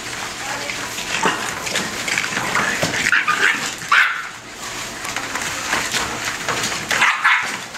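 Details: A litter of bulldog puppies about five and a half weeks old playing and fighting together: high yips, whimpers and small squeaky barks overlap in busy bursts, with a human voice talking over the scuffle.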